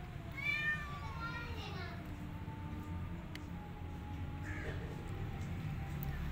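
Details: Feral cat Maya, weak after a miscarriage: one drawn-out, harmonic meow that falls in pitch, then a softer, brief mew, with human speech and a steady low hum behind.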